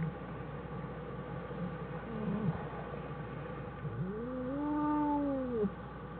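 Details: Wild American black bear mother and two cubs in their den on January 1, 2013, followed by a long-term research team; steady low rumbling background, then a single drawn-out, rising then level moaning call that fades near the end.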